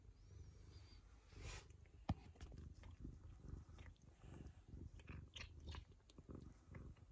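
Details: Indoors, a Ragamuffin cat licks a girl to show affection, its low continuous purr mixed with wet licking and lapping clicks, plus one sharp tap about two seconds in.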